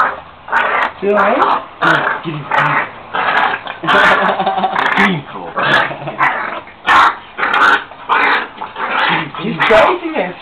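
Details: Puppy growling the whole time while playing with a bigger dog, rough noisy growls in rapid irregular bursts about every second, with a man talking over them.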